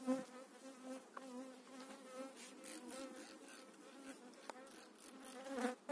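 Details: Honey bee colony being moved frame by frame into its own hive in spring 2018. The colony stays calm and needs little smoke. A strong, even buzz with a clear tonal hum swells and eases, with occasional tapping sounds.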